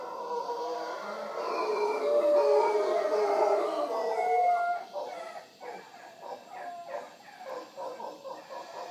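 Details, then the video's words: Wild howler monkeys visiting in the morning at Punta Uva, Costa Rica, near the Manzanillo Wildlife Refuge: a loud, rough, droning chorus of overlapping roars swelling for about five seconds, then fading into quieter pulsed grunts. "Howler Monkeys of Punta Uva Costa Rica"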